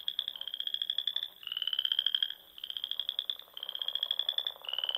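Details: Frogs singing in spring at dusk among the dunes, lakes and ponds of Nebraska's Sandhills: high, pulsed trills about a second long follow one another almost without a break, with several callers overlapping.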